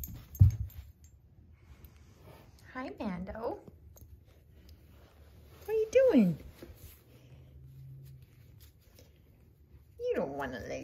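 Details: A playful 10-week-old Basenji puppy (Canis familiaris) gives short yodelling calls that waver, then slide steeply downward, separated by quiet pauses.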